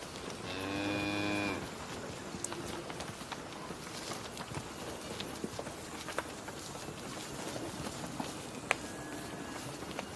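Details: Cow giving a single drawn-out moo near the start, a steady harmonic-rich bellow lasting about one second, followed by a quiet outdoor background with scattered clicks and light rustling.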